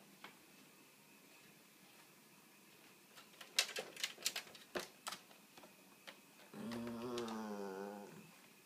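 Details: A dog in its house (crate) demands to be let out. Clattering scratches and knocks come first, then a drawn-out, wavering, nasal whine rich in overtones lasting over a second, set against a quiet indoor room hum.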